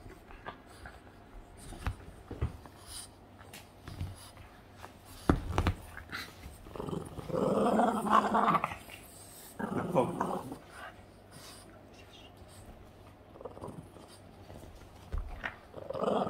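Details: Playful Boston Terrier Yoda lets out scattered short sounds, then a louder sustained rough growl midway, with clicks and movement noises indoors.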